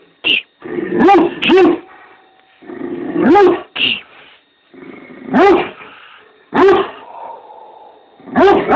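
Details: Great Dane, angry at a werewolf mask, giving deep, booming barks singly and in pairs every second or two, with human voices talking in the gaps.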